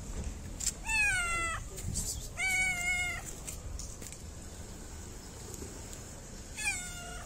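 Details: Fluffy stray cat in a Moroccan city, petted before and after its food, meows three times: two drawn-out harmonic meows close together, then a shorter one after a pause, with light background noise.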